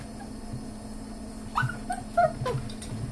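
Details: Dachshund puppies eating a breakfast of dry dog food give brief, high whimpers and little yips over a low steady hum.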